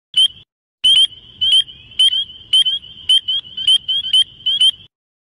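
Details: Frog giving rapid, high, chirping clicks in quick bursts, roughly two per second, with short pauses between bursts and otherwise quiet surroundings.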